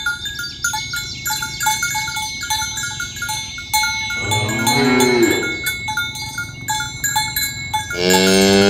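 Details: Tame cows herded in the morning along village roads toward the pen; rhythmic cowbell clanking dominates, with a single moo midway and the start of another near the end.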